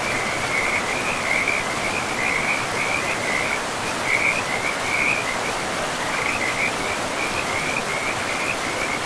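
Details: By a forest river among moss-covered ground, frogs keep up a continuous high trill that pulses in uneven bursts, brightening every second or two, while flowing water hisses steadily underneath.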